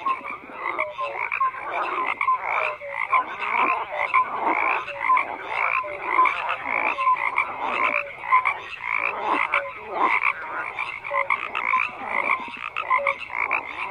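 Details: Numerous frogs croaking in a steady chorus, raspy pulsed calls pulsing in waves roughly every second, dotted with short clear chirps at lower pitch throughout.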